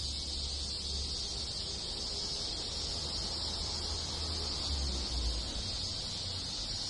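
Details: Summer cicada chorus in a Japanese village in the countryside, with other insects joining in: a steady, piercing high-pitched drone that never pauses, over a low rumbling background that swells briefly near the end.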